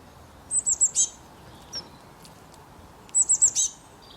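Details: Loud squirrel chirping, two matching bursts of four rapid, piercing high notes each, about two and a half seconds apart, with a single faint chirp between them and quiet background hiss.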